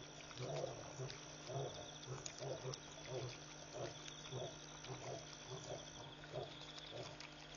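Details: Lions calling repeatedly after midnight at Pete's Pond waterhole, Mashatu Game Reserve, Botswana, captured on a live wildlife feed in August 2014: a run of deep, evenly spaced grunts roughly twice a second over steady electrical hum and high insect buzzing.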